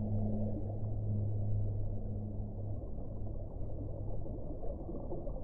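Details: A deep whale moan, a low steady hum with one overtone, lasts almost three seconds before trailing off into a dense, rumbling underwater noise.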